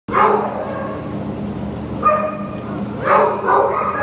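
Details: Lhasa Apso dog up for adoption at a shelter, recorded 15 September 2015, giving a few short harmonic barks or yips, two close together near the end, over a steady low mechanical hum.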